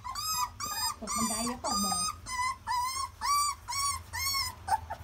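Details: Young puppies on their first day of walking, crying in a rapid series of high whining squeals, about one per half second, each arching up and down, with a low murmur behind.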